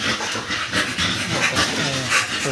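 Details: Two-month-old American Bully puppies, just given their second 5-in-1 vaccine, panting in quick, breathy, noisy bursts roughly every half second, with faint voices in the background.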